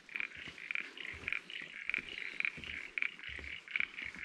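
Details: Frogs calling from a swamp at Polblue camping ground, Barrington Tops National Park, NSW, Australia: a steady run of short, bright, high-pitched notes.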